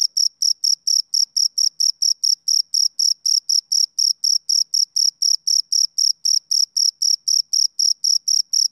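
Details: A male cricket chirps steadily, each sharp, high-pitched pulse repeating about four times a second, a sound made by rubbing its front wings together.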